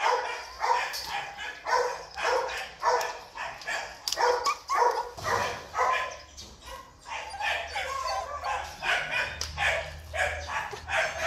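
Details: Male Belgian Malinois barking in rapid, uneven bursts, nearly two barks a second, each one sharp and broadband, with a steady low hum underneath throughout.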